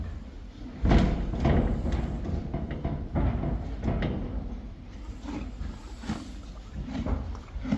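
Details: Friesian horses and foals eating hay, loud crunchy bites repeated roughly every half second to second, with a faint high background hiss.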